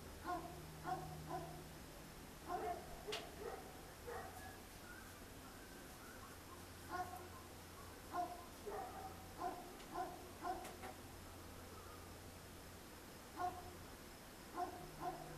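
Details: Many dogs barking at night amid traffic noise, recorded with a Sony DSC-H200; faint harmonic barks come in scattered clusters across the stretch, some doubled or tripled, over a constant low rumble and hum.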